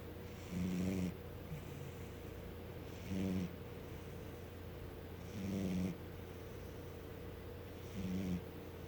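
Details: A sleeping domestic cat snores in slow, regular, buzzy breaths, four of them, each about two to three seconds apart. Quiet hum between breaths.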